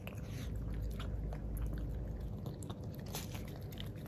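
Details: Jiro, a male black-and-tan Miniature Pinscher born August 2019 with an undocked tail, eats unsweetened yogurt for the first time indoors. He makes dense, quick wet licking and smacking sounds, several per second, close and steady throughout.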